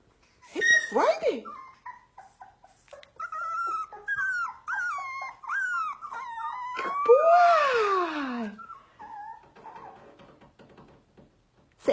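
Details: Husky howling and whining indoors, with long wavering tonal notes that bend up and down, then a loud falling howl; a person speaks in between.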